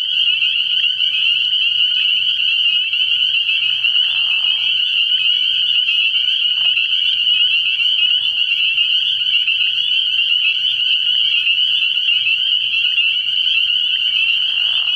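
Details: Night at a frog pond early in the year, where many spring peepers call together: a constant high, shrill sheet of overlapping peeps with no pause, and faint low pulses underneath.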